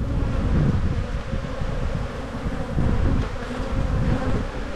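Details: Honey bees buzzing in an open hive during an evening spring inspection after a queen excluder was added; a loud, steady, low droning hum that pulses slightly in volume throughout.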